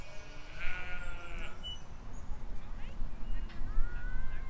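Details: Sheep and lambs grazing in a field in spring 2020; one wavering, harmonic bleat lasting about a second, followed by scattered bird chirps and whistles over a steady low wind rumble.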